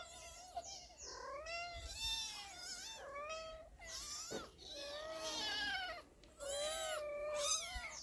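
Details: Several domestic cats calling at feeding time, overlapping wavering meows rising and falling, some drawn out, with a short click and brief quiet gaps between bursts.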